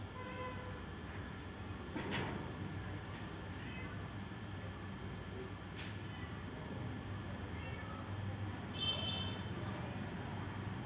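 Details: Domestic cat crying on seeing another cat: faint, drawn-out whiny meows with a tonal, harmonic quality, one near the start and another bending upward late on, plus a soft knock early on over a steady low household hum.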